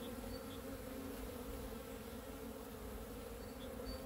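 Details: On a sunny day, 13 February 2023, honey bees fly outside and sense spring. Their continuous low buzzing drone fills the whole stretch, with a few soft, high bird chirps near the start and the end.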